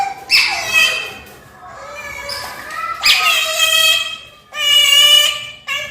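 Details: Brownie and Daisy, pet otters said to love catfish, screaming for their breakfast: shrill, wavering cries of uneven length, some rising sharply at the start, with short gaps and softer squeals between.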